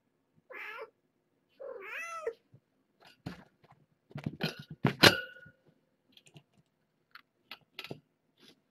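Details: Cats at the Purrfect Pals shelter, the young mother Nala Se and her kittens, during a burst of wild play: two drawn-out wavering mews open the sequence, followed by clattering knocks and scattered thumps.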